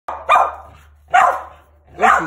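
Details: Male mountain feist, a started squirrel dog born in 2017 that hunts squirrels alone or with other dogs, gives three sharp, loud barks spaced about a second apart, each a bright burst with a short fading tail.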